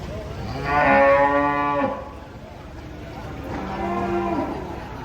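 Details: Cattle being unloaded from a truck: a loud harmonic moo of about one second, then a softer, lower second moo near four seconds, with faint background noise.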